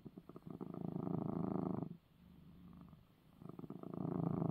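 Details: Domestic cat purring after receiving his eye medicine: a steady low rumbling purr in two loud stretches, each under two seconds, separated by a quieter pause while breathing in.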